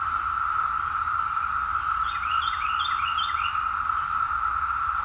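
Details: Brood X 17-year periodical cicadas in 2021 in the woods at Fort Totten, Washington DC, recorded on a walk, form a loud, unbroken droning chorus on one steady whining pitch. A songbird adds quick, high chirping notes partway through.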